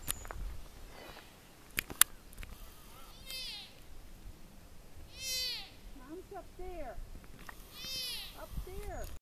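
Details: A young black-tailed deer (Odocoileus hemionus columbianus) in Yosemite National Park gives high, nasal, mewing bleats, calling for its mother, who went up to higher ground where it failed to follow.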